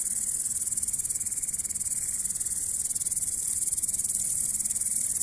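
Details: Grasshopper chirping in a steady high-pitched trill, made of rapid pulses that come in quick regular beats, unbroken for the whole stretch.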